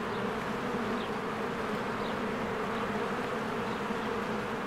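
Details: Honeybees flying in and out of their hive in spring among blooming flowers; a dense, steady low buzzing hum fills the clip, with a few faint high bird chirps above it.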